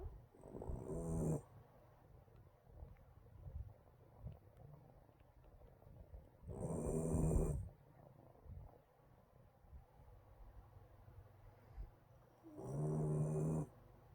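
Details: A sleeping Shiba Inu puppy snores with low, rattling nasal breaths, each about a second long and coming roughly every six seconds, with quiet breathing between.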